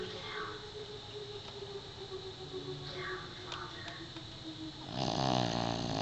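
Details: A Pekingese dog snoring very loudly: quiet, rough breathing at first, then a loud, harsh, rasping snore swelling up near the end and lasting about a second.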